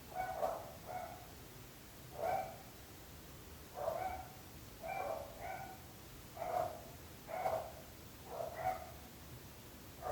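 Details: Persistent dog barking from a recording made to show neighbours' suffering: around a dozen barks over ten seconds, often in quick pairs, repeating at a regular pace against a faint background hum.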